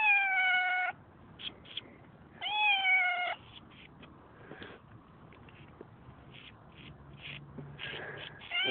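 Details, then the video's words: Roadside cat screaming at two passers-by, recorded on a phone; two long drawn-out meows with a wavering tone, a third beginning at the end, between them footsteps and rustling. "This Meow Is The SWEETEST!!!"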